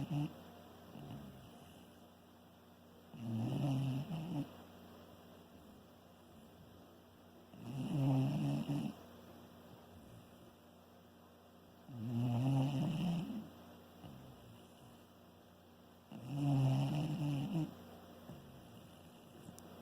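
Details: A Shiba Inu snores in low, rumbling breaths, each about a second long and roughly four seconds apart.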